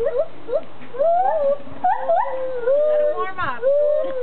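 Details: A pair of gibbons in Magnetic Hill Zoo putting on a show for onlookers, giving a run of clear, wavering whoops that swoop up and down, flowing almost without break, with a harsher burst near the end.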